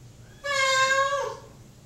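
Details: Mocha, a male pet cat shut in a bathroom while waiting for dinner, gives one loud, drawn-out meow that holds steady and then slides downward at the end, in a quiet small room.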